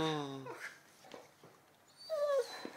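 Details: Eleven-month-old Labrador playing indoors with a new ball gives a long, steady, high whine that breaks off, then a short falling whine near the end. Quiet Croatian talk and soft clicks sit between the sounds.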